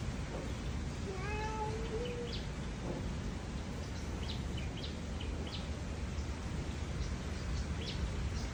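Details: A cat gives a single drawn-out meow lasting about a second, level then slightly rising, with clear overtones, over a steady low rumble; brief faint high chirps scatter through the rest.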